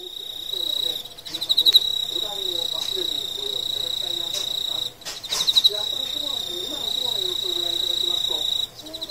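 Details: Emma field cricket (Teleogryllus emma) song, a steady high ringing trill with soft murmured sounds beneath, heard as the cricket moves toward mating.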